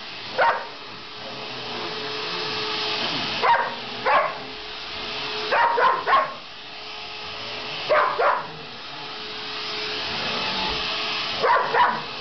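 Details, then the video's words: Pet dog Sasha, who hates the vacuum, gives irregular bursts of sharp barks, singles, pairs and a triple, about a dozen in all, against the continuous whine of the running vacuum cleaner. "Dog hates Vacuum"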